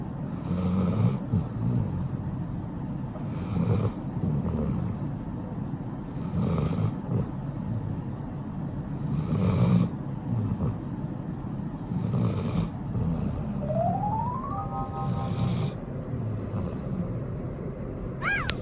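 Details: Hatch, an eight-year-old female Golden Retriever, asleep and snoring: low, rumbling breaths repeat roughly every three seconds in a steady rhythm, with a brief rising chime-like tone near the end.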